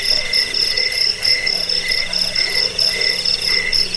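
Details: Shrill cricket chirping, the high pulses grouped into short bursts that repeat roughly twice a second over a steady insect drone, with a faint low hum midway. Presented as a rat-repelling sound and songbird training material.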